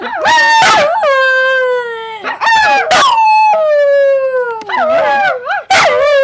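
A dog gives a drawn-out, singing howl, each note wavering and slowly falling in pitch. Short, harsh yelps break in between the long tones.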